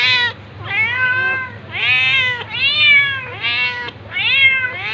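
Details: Tabby cat attacking a ginger cat amid meowing: five drawn-out, wavering meows in close succession, each rising and falling in pitch, with a faint low hum beneath.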